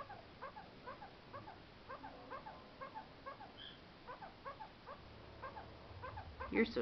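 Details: Kakariki kept as a pet, chattering to its owners to be given snacks faster: a steady string of soft, short chirps repeated about twice a second, ending in a louder, harsher burst.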